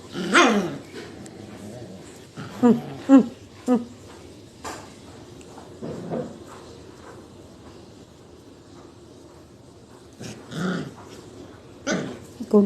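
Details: Puppies playing together and breastfeeding: short yelps and whimpering barks in scattered bursts, several close together early on and more near the end, with quiet background noise between.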